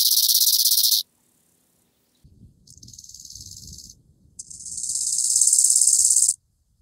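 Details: A bow-winged grasshopper (Chorthippus biguttulus) in Hanfeld, Germany, on 19 September 2021, stridulates in high, hissing bursts that swell in loudness before stopping abruptly.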